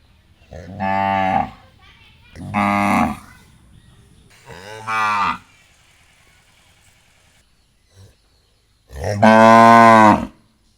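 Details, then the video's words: Cow lowing in a series: three medium moos about two seconds apart, a quiet pause, then one loud, full-bodied moo with strong stacked harmonics; faint low background rumble throughout. "cow sounds new sounds new cow"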